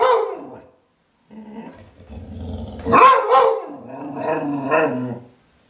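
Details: Clumber Spaniel giving a low rumbling growl that builds into two rough barks, followed by a drawn-out whining, grumbling vocalisation before falling quiet.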